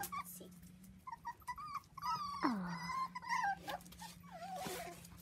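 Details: Playful 4-week-old Dachshund pups, seven together on a trampoline with children, make wavering whines and squeaky whimpers, one long drawn-out cry bending down then up, over a constant low hum.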